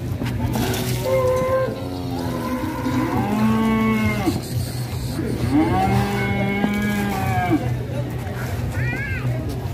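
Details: Cattle from Indonesia, said to rampage while ploughing, let out a run of loud, drawn-out moos. Each is a rich harmonic bellow that sags and swells in pitch, several in close succession, ending in a short higher bleat over a low hum.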